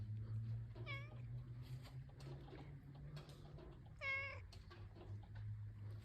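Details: Hungry cat after the rain, talking with a person: two clear, harmonic meows about three seconds apart, the second longer and slightly falling, over a steady low hum.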